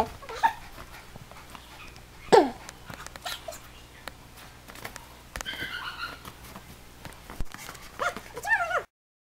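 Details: Alaskan Malamute playing in the snow, uttering a few high, sliding whimpers and yips, one sharp downward yelp near the middle, with a person speaking softly and background rustle.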